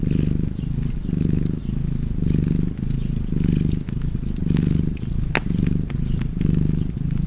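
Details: Relaxed cat purr next to a fireplace: a throaty low rumble repeating in breath-length swells roughly every second, with fire crackles and a few sharp pops above it.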